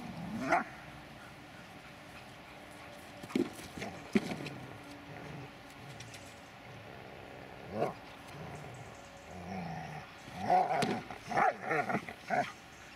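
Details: Dobermann Magmar Von Der Burgstätte: a few isolated barks and low grumbles spread over the first seconds, then a quick cluster of high, excited yelping barks toward the close, amid light handling noise.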